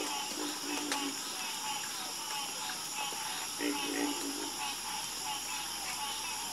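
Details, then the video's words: Frogs in a nighttime chorus give a few short, low, slightly drawn-out croaks and scattered clicks, while a continuous high whining trill fills the background throughout. "Calming Sound Of Harmonious Frog Croaking"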